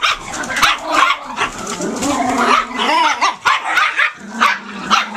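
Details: A puppy yaps repeatedly, mixing short sharp barks with a drawn-out whiny, wavering whimper in the middle, then returning to quick high yips near the end.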